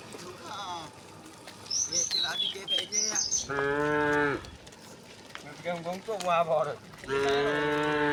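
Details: Tame cows walking in a line along a path to a grassy hill give several moos, some short and wavering, others long and steady, mixed with high bird chirps and soft background murmurs.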